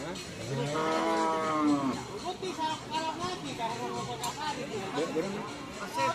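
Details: Madura cattle of the Kerap Tanggek type in Langsar, Saronggi, Sumenep, giving a harmonic, wavering moo for about a second, followed by speech and background music throughout.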